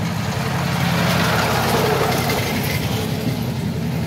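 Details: A steady rumble of an idling truck engine with broadband traffic noise throughout and no animal voices.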